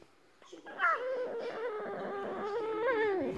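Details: Jinx, a female Boston Terrier, makes a drawn-out, wavering whine-howl that slides up and down like talking, as though having a chat.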